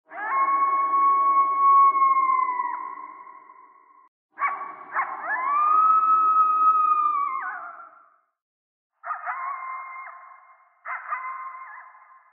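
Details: A coyote (Canis latrans) at night gives long, sustained howls that swell, bend upward, then drop away, followed by shorter broken notes.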